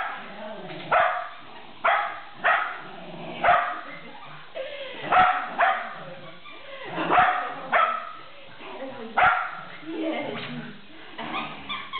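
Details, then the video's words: Shetland Sheepdog during a game of tug, barking in short, punchy bursts about once a second, with a person talking between the barks. "Sheltie plays tug"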